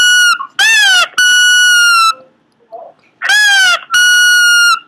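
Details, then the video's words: Pomeranian producing weird noises: shrill harmonic whines, a bent yelp followed by a long level whistling tone, a pause with a faint low grunt, then the same yelp-and-whine pair again. "cute pomeranian making weird noises"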